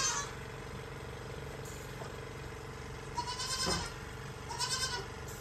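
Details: Goats being milked with a milk machine give two short wavering bleats in the latter half, set against the constant rhythmic throb and hum of the milking equipment.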